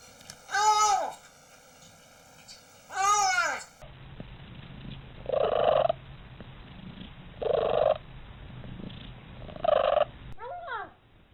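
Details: Domestic cat making weird sounds: two drawn-out falling meows, then a series of short, evenly spaced chirping calls about every two and a half seconds over a low rumbling purr.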